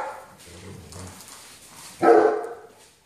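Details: German Shepherd, named Belle, scolded for having something it should not: a low murmur gives way to one sudden loud, gruff bark that fades over half a second.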